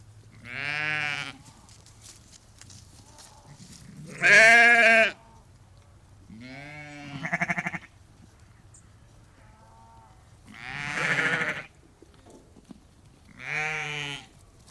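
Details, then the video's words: Ewes and lambs, about 30 to 50, calling out on a sheep farm; five spaced bleats in different voices, one very loud and strained, others shorter and tremulous, with quiet low hum between. "Ewes and Lambs Calling"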